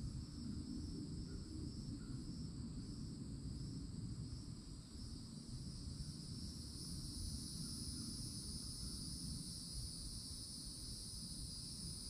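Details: Loud summer cicadas at the edge of a Florida forest: a continuous shrill, even buzz that strengthens in the second half, over low rumbling background noise and a few faint distant chirps.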